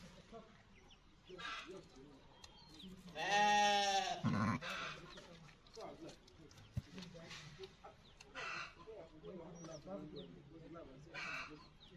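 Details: Sheep giving birth to a lamb on a farm, with one loud, drawn-out, wavering bleat lasting about a second midway, among softer rustling, low murmurs and a few quieter calls.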